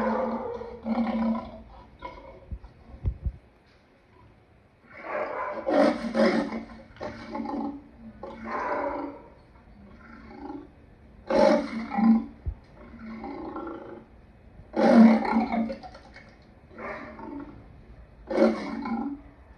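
A lion gives hoarse, throaty roars and growls in uneven bursts, each a few seconds apart.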